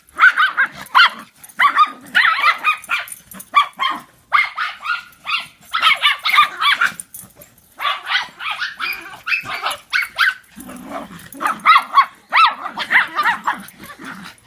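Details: Playful barking from three dogs chasing one another in follow the leader: dense runs of short, high barks and yips, packed closely for most of the stretch with brief pauses between volleys.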